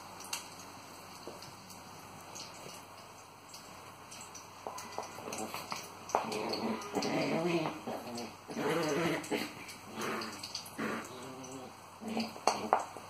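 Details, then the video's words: Long Coat Chihuahuas playing tug of war indoors, with short rough growls and harmonic grumbles clustering mid-clip, broken by sharp clicks and scuffles; quieter stretches at the start. "Long Coat Chihuahuas playing tug of war"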